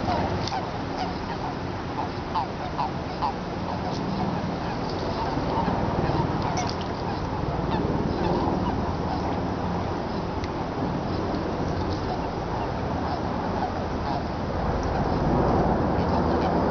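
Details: Eastern Japanese common toads chorusing in a Tokyo pond on 23 February 2017, during mating season between cold and warm days; dense overlapping low croaks and honking calls run without pause, many callers at once.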